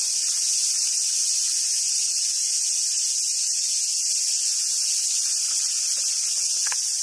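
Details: Japanese summer cicada chorus recorded at Awajishima Monkey Center, Hyogo: an even, high, hissing drone without pause, and a couple of faint squeaks near the end.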